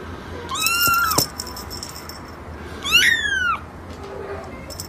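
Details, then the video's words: Kitten meowing: two loud, clear meows about two seconds apart, the first a steady high cry, the second falling in pitch, with a quiet background. "Baby Cat"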